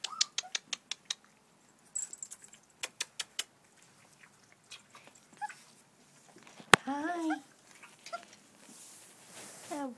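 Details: American Bulldog puppies from a purebred litter, four left (two females, two males), indoors: scattered sharp clicks and taps, then a burst of short, bent, whining whimpers with a few softer whines trailing off.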